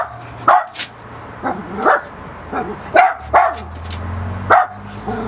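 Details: Miniature Pinscher barking at a balloon, short shrill yips and barks spaced about every half second to second, some with whining tails, over low household hum.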